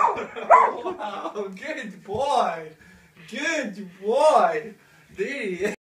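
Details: Male Samoyed singing along to an advert song he always pays attention to: wavering, arching howl-like tones in rising and falling phrases, each about a second long, separated by short pauses.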